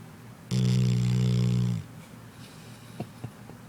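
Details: Sadie, a sleeping pet dog, gives one loud, droning snore of about a second and a quarter, low and buzzy with stacked harmonics, followed by quiet breathing and a few soft clicks indoors.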